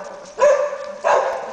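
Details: Labrador Retriever search and rescue dog indicating a find: two loud barks about half a second apart, each a short harsh burst, with faint background hiss.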